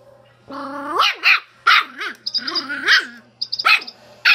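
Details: Schipperke dog with a chicken, opening with a rising, nasal whine that breaks into sharp barks. Another whining yowl and more quick barks follow, with faint high squeaks between them.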